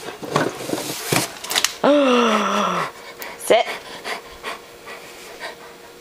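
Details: Older pet dog indoors 'telling' its owners it is hungry and wants feeding: one drawn-out, whined tone lasting about a second, sliding gently downward, then a brief rising yelp, amid clicks, panting-like noise and a person talking.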